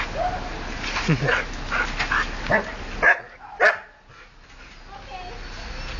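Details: Excited domestic dog reacting to another dog walking past, recorded 30 Oct 2008; a quick run of short yips and whines, two sharper cries near the middle, mixed with people talking in the background.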